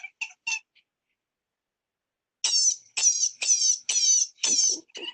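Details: Baby wild rabbit in distress, screaming only when nervous: a few short squeaks, a pause, then a run of five loud, high, shrill wavering screams each about half a second long.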